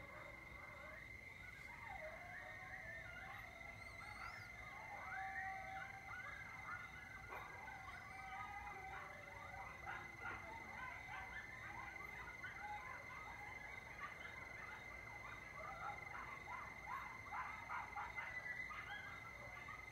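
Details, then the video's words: Several coyotes calling together at night over Lake Mendocino, October 2022, from a porch above the lake: a continuous jumble of warbling yips, barks and quavering howls lasting throughout, backed by a steady thin high tone. "Coyotes (Canis latrans) at Lake Mendocino Like I’ve Never Heard"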